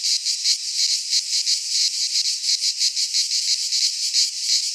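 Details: Midsummer cicada chorus from a Greek pine forest, a shrill unbroken buzz that throbs in quick regular pulses, nearly three each second, with nothing else audible.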